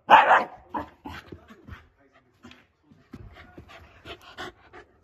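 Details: Angry Shiba Inu dog barking at a favourite plastic bottle cap that has fallen under the sofa; one loud sharp bark opens, followed by short huffs, grumbles and panting bursts, quiet pauses between, indoors.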